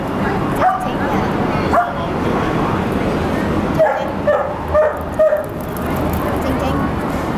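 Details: Sharp little yaps from a Toy Poodle, one of Sung Sung, Lum Lum and Silvio: two spaced barks, then a quicker run of four close together, over constant room noise.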